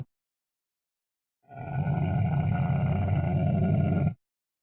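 A Bactrian camel gives a deep, rumbling roar lasting nearly three seconds.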